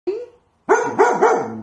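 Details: Female pet dog indoors in a kitchen, scared of something in a corner and in protective mode, barking for the first time: a faint early yelp, then a burst of three quick harmonic barks rising and falling.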